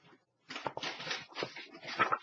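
A puppy gives a burst of short, scratchy yelps and whiny cries indoors.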